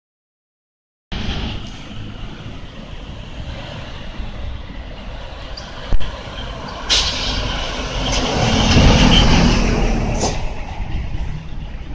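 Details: Steady urban traffic rumble with low engine drone, passing vehicles and sharp air-brake hisses near seven and ten seconds; no animal voice heard.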